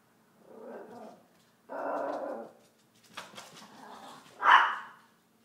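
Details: Chihuahua while hunting: two drawn-out, rough, mid-pitched growls about a second apart, then scuffling sounds, ending in one loud, sharp bark.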